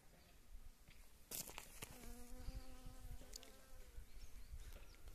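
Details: Western honey bee foraging on wild mustard flowers, giving a short steady droning hum for about a second and a half amid crackling rustles and sharp clicks against the blossoms.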